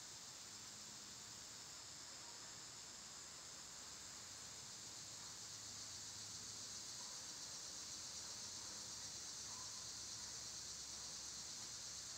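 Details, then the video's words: A loud summer cicada chorus makes a broad, shimmering high hiss that swells slightly toward the end and pulses evenly and rapidly, with faint low rumble beneath. "Cicada sounds"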